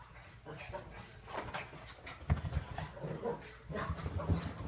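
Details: Two puppies playing with each other, making strange low growling noises in uneven rumbling bursts, with a few sharper yelps and scuffling sounds indoors.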